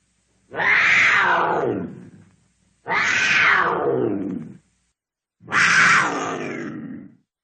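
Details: Cougar uttering three long, raspy, harmonic screams at intervals of about two and a half seconds. Each call bursts out strongly and then trails off in a descending, fading wail.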